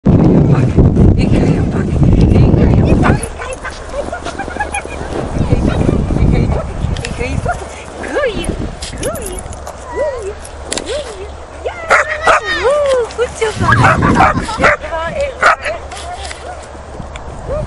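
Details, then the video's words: English springer spaniel, 5.5 months old, playing and barking while on the run; short high yelping barks and rising-falling yips come in bursts, mixed with human talk and loud handling noise at the start. "english springer spike 5.5 mnd playing and barking"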